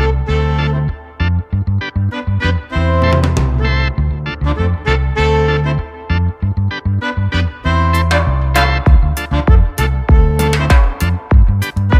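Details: Loud swing-style music with piano, brass and drums fills the whole stretch, with no animal heard.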